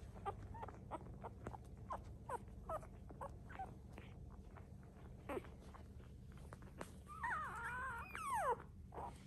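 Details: Miniature Schnauzer puppy at a breeder, raised with plenty of affection; quiet background with scattered soft clicks and taps, then a high wavering whine that rises and falls near the end, followed by a brief sharp squeak.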